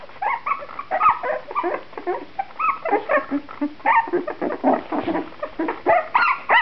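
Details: Shenna's C litter, puppies two and a half weeks old with freshly opened eyes, growing livelier; several pups whimper and squeal in short overlapping bursts, some rising, some falling, almost without a break.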